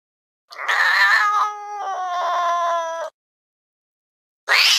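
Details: Fluffy cat perched on a window sill, gazing intently outside with ears perked, gives one long drawn-out meow of about two and a half seconds, bright at first and then steady and tonal, followed by a short noisy burst.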